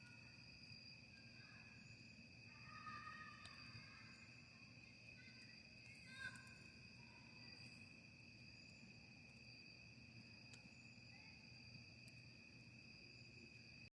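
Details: Outdoor camping scene by a campfire, crickets trilling in two steady unbroken high bands the whole time, over low crackle and rumble, with scattered faint bird notes and a brief louder knock near six seconds.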